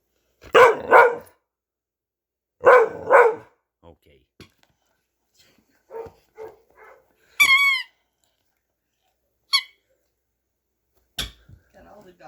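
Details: Playing dog, vocal during play, giving two quick pairs of loud, rough barks early on, then a bright squeaky-toy squeal, scattered taps and a few short, quieter yips.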